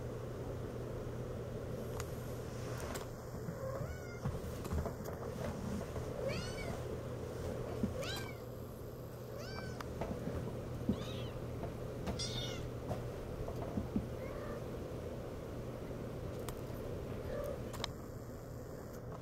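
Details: Six-week-old Siamese kittens mewing indoors, several thin high meows rising and falling, scattered through the recording, over a steady low hum of machinery.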